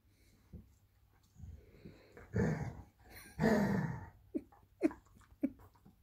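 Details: Irish Wolfhound puppy pestering her Labrador sister indoors: breathy growls and huffing in two long rough bursts, followed by a series of short snorting grunts.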